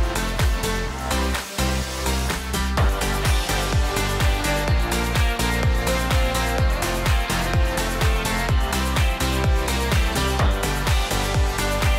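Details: Electronic dance music with a steady thumping beat fills the recording, with no animal sound heard.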